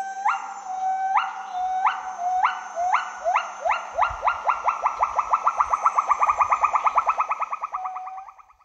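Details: Gibbons singing: a series of loud, clear, rising whoops that start slow and evenly spaced, then speed up into a rapid run of short upswept notes that fade out at the end.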